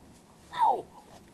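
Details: Leonberger puppy Artos, about eleven weeks old, born 11 May 2010 and recorded in July 2010 in Löhlbach, playing and biting at people's feet; one short, falling, whine-like yelp of under a second in a quiet small room.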